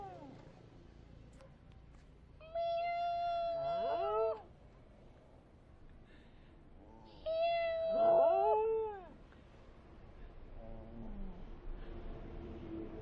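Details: A 7½-year-old dog gives two long, drawn-out whining howls, each holding a steady tone before bending, a reaction he has whenever he hears high-pitched sounds.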